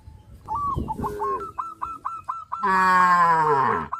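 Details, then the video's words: Tame cows crowding around fields, running and jumping for joy; one long, loud, rich moo rises and falls near the end, preceded by rapid, repeated high chirping from birds and brief low rustling. "sound of cows"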